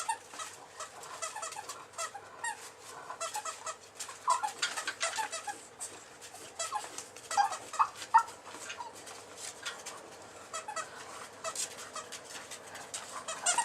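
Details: Sleeping bulldog pup, a male of eight weeks, snores in uneven bursts of rapid, wheezy, whistling pulses, some louder spikes near the middle and a strong surge at the very end.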